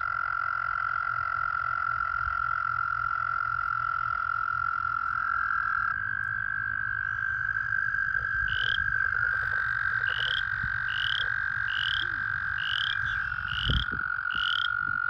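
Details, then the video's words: American toads calling at a breeding pool in full breeding season, some pairs in amplexus: a long, steady, high musical trill held without a break, with overlapping trills from several toads and short repeated bird chirps over the top. "American toad breeding pool. ASMR. White noise. Calling"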